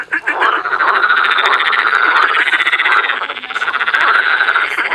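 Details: Spring frog chorus in Cologne's Botanical Garden: many frogs croaking together in a continuous, loud, rapidly pulsed rattle that swells and fades in waves.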